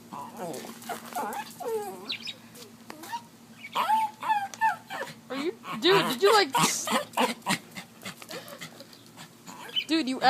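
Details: Pet dog Lithsy whimpers and yowls in bending, wobbling cries that swell louder midway, mixed with a man talking to him in the room.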